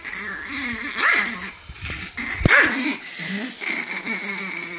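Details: Angry chihuahua giving a wavering growl broken by two short sharp barks about a second and a half apart.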